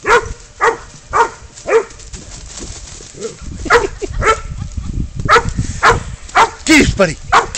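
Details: Spud the pid dog bays up a goat while a man urges him on: rhythmic hoarse barks about twice a second mixed with shouted encouragement and scuffling noise.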